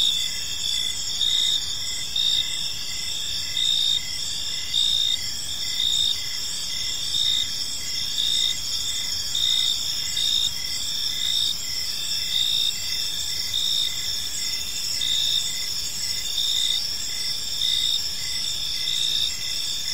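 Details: Crickets sing through an evening in a peaceful park: an unbroken high-pitched chorus in which one loud chirping trill returns in short bursts about every second, above a faint steady hiss.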